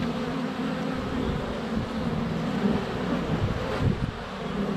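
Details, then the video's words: Swarm of honey bees flying around the hive entrance in February sunshine, GoPro less than a foot away; continuous low droning buzz with rising and falling individual wing tones passing close, plus faint bumps and light wind. "Honey Bees - ambient video and audio"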